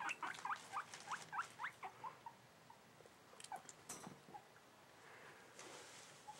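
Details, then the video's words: Excited male guinea pig, seven months old, in a cage being cleaned: a rapid run of rising, squealing squeaks, several per second for about two seconds, then fading to softer scattered squeaks and handling noises. "Guinea pig makes cute noises"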